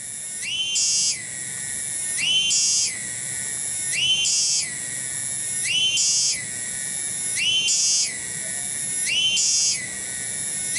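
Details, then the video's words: Tonggeret cicada in a village garden, Kampung Bunder, Cibening, Bungursari: a continuous piercing metallic drone swelling into louder rasping bursts roughly every 1.7 seconds, about six surges in a regular, pulsing rhythm. "SORA TONGGERET DI KEBON"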